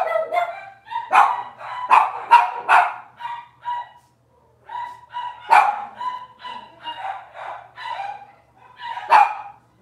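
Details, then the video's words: Several Cavalier King Charles Spaniel puppies, Robin's litter, on an indoor livestream: squeaky, harmonic yelps and piercing barks in quick clusters, a brief pause near the midpoint, then more whiny yips and one loud final bark. "Cavalier Puppy Live Stream: Robin's Puppies"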